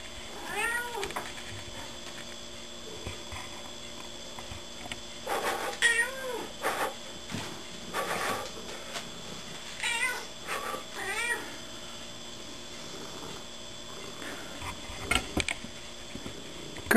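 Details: Pet cat Gertie answering her owner's blowing noises indoors with clusters of short, arched meows, then a long quiet stretch broken by soft puffs of breath, with a steady electrical hum throughout.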